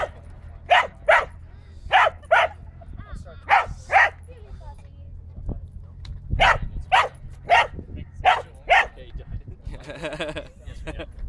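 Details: A Corgi barks sharply in quick pairs at a remote-control car, the barks repeating steadily through the recording.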